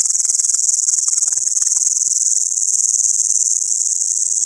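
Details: Locust at night, its sound waking a person from sleep: an intense, unbroken high hiss-like buzz with a fast, slightly pulsing throb of about four beats per second, and faint crackles beneath.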